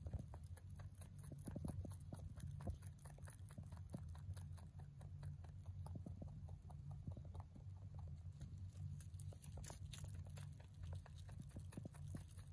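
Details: Pet mini rabbit, a male born November 3, 2020, munching hay in a fast, steady run of crisp crunching clicks, several per second, over a low droning hum.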